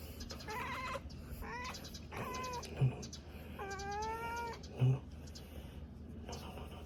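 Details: A cat named Numchoke hiccups after spotting a bird. Two brief, low, muffled jolts about two seconds apart stand out, among several drawn-out, tonal meow-like wails and soft room noise.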